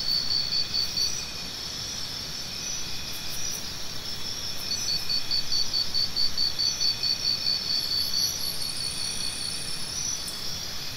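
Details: A cricket gives a run of quick, evenly spaced high-pitched pulses midway through, set within a dense, steady insect drone with a faint low rumble beneath.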